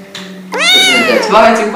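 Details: Domestic kitten meowing, one of several kittens described as hungry, scared, lonely or angry; a single loud, drawn-out harmonic meow rising then slowly falling, following a brief quieter sound, with a steady low hum underneath.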